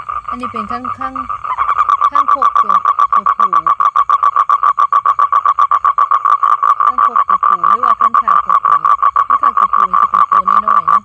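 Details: Male toad calling to attract females for mating: after a man's brief talk, a steady, rapid pulsed trill of evenly spaced clicks runs without a break, with his voice cutting in now and then over it.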